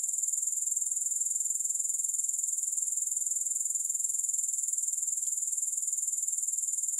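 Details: Grasshoppers producing a sustained, high, sizzling trill with quick regular pulses, about four each second. It runs uninterrupted, with only a faint tick just past five seconds.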